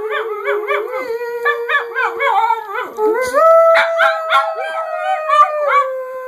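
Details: Boston terrier mix pet dog howling, described as singing: a continuous tonal wavering howl with rapid rising and falling yodel-like inflections, climbing higher midway and staying strong to the end.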